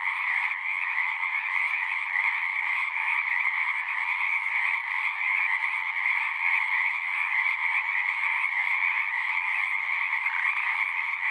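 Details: Many frogs singing together in a continuous, even wall of rapid trills and croaks, two bright layered tones holding steady with no pauses or other noise.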